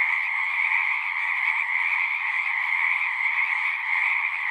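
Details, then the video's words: A steady massed chorus of frogs at a pond in a horse pasture, recorded with a Zoom 6: countless voices blend into one ringing, high-pitched trill that never breaks. "Frogs singing"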